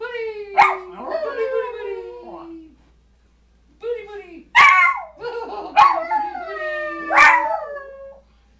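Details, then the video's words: Pet Schipperke and hound dogs sing the booty boo song together with their owner. Gliding, descending howls overlap one another, with brief yips breaking in, a short lull midway, then a fresh burst of howling. "Cotton Schipperkes & Hound: Booty boo song"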